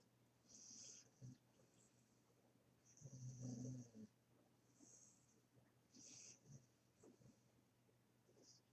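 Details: A puppy asleep gives soft, wheezy snores. One louder, harsh, rumbling snore stands out near the middle, with fainter breathy snuffles and short sighs before and after it.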